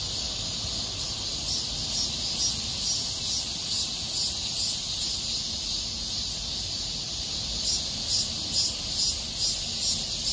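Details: Cicadas singing in a small park in August 2021: a dense, steady high-pitched shrill buzz, pulsing roughly twice a second, with a faint low rumble of background traffic or wind underneath.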